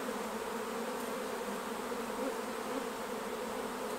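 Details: Continuous thick buzzing of many honey bees around the hives at honey harvest time, even and unbroken from start to end, with no other clear sounds.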